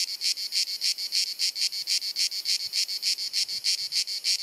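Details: Cicada in Croatia's Dalmatia on a sunny summer afternoon, giving a high, harsh, pulsing buzz with clear regular beats about three per second, steady volume throughout.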